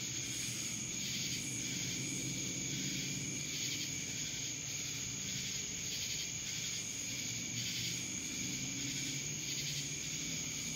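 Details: Steady buzzing of cicadas in Dallas, Georgia, a thick high hiss throbbing in regular beats, with a sustained whistle-like tone overhead and a soft low rumble beneath.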